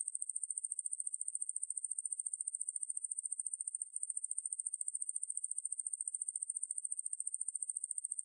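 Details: Ruspolia lineosa, a Korean conehead katydid, in a 2020 National Institute of Biological Resources recording; an unbroken, thin, high buzz made of rapid even pulses, pausing for an instant near the middle, otherwise silent surroundings.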